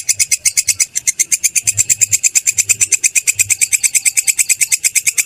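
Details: Grasshopper known locally as belalang kecek or kerik, kept as a tutor sound for cage birds, giving quick, evenly spaced rasping clicks that run on without a break, high-pitched and shrill, over soft low background thumps.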